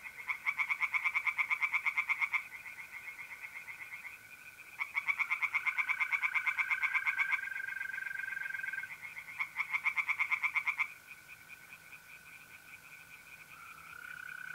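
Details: Tree frogs singing in a pond on an April night in north-east Italy: three bursts of fast, rattling pulsed croaks, each lasting two to three seconds, over a steady high trill of mole crickets.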